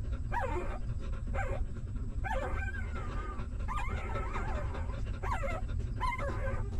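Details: Stray dog's newborn puppies during nursing: repeated short squeaky whimpers and a longer thin whine, spaced about a second apart, over persistent low rumbling noise.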